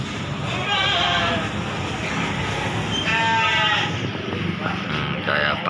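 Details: Bleating at the Bangsri livestock market, Jepara, where Gibas sheep are traded: a short bleat early on, then a longer quavering one, both half-buried in loud background voices and bustle.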